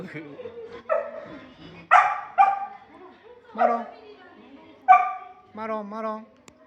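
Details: Samoyed dog at a Samoyed cafe, performing cute tricks while being given treats: short, bright, harmonic barks and yips come about six times in quick bursts, ending in a rising-and-falling whiny note, with some human talk in the background.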